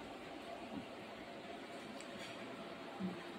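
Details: Quiet, even background hiss with a faint murmur and one soft bump near the end, and no animal voices.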